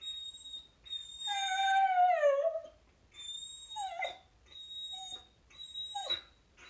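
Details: A Samoyed named Luna complains at home when her dog friend walks by too early to play. A sustained high whistle swells into a long, loud whimper that falls in pitch, followed by shorter squeaky whines.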